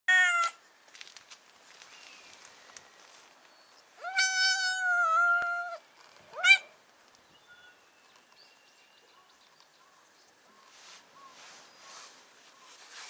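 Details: Stray brown tabby cat on a cat island, asking to be lifted onto a person's lap: a short meow, then a long, drawn-out, steady meow of about two seconds, and a final brief sharp mew. Quiet outdoor background.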